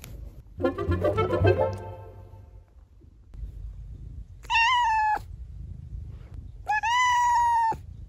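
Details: A female cat gives a rough, wavering meow, then two longer, steady, nasal meows about two seconds apart, over a low background hum.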